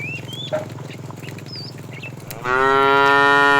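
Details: During afternoon herding of tame cattle, a fat cow calls the female with one strong, sustained moo rising in at the end, rich in even harmonics, after a low rumbling background and scattered bird chirps.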